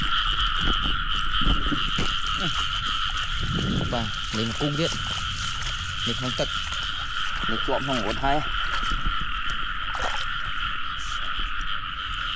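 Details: Rice-field frogs in rainy weather give scattered runs of rough, pulsed croaks around the middle, over a steady ringing chorus; a man's talk, grunts and shouts are prominent throughout.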